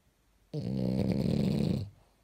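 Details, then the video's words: A single long, rough snore from a French bulldog wearing pajamas, buzzing and low for just over a second in a quiet room. "Bulldog in pijamale care sforăie !!! French bulldog snoring!!!"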